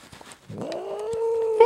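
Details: Domestic cat named Jinxie, pulled out from under a chair, gives a tonal yowl. It starts low and rises into a steady, drawn-out wail with clear harmonics, then jumps sharply higher at the very end.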